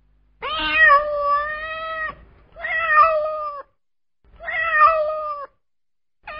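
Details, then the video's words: Domestic cat in California meowing insistently and loudly: long, level, drawn-out meows repeated roughly every two seconds, the first over a second and a half long, with a faint low rumble underneath. "SOUNDS OF AMERICAN CATS 2023"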